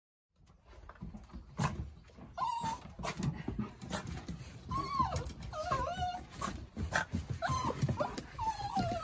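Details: Yoichi, a male tricolour Cavalier King Charles Spaniel born in Kurume, Fukuoka, turns cat-like at peak excitement during play, giving short wavering mid-pitched mewing cries between rustles and thumps of romping indoors.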